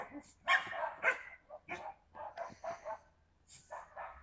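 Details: Yakutian Laika recorded in September 2020: a couple of loud opening barks, then a quicker string of shorter, softer yaps spaced unevenly, fading toward the end.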